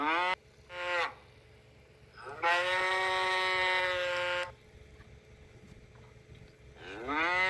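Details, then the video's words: Cattle calling with several moos: a brief clipped opening call, a short rising one, then a sustained two-second harmonic moo, and a rising moo starting at the end; low background hum throughout. "Tiếng con bò kêu phần 1 - sound of cow"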